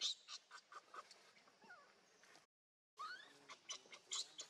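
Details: Baby monkey named Leo crying and begging its mother for milk: shrill, high squeals and short rising and falling whistled cries in quick bursts, a brief silence midway, then more piercing squeals with faint background rustling.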